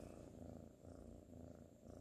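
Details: Ginger tabby kitten Sir Salmon purrs while sleepy and cuddling, 12/19/2019: a deep, continuous pulsing rumble that swells and dips in breath-like cycles about every three quarters of a second.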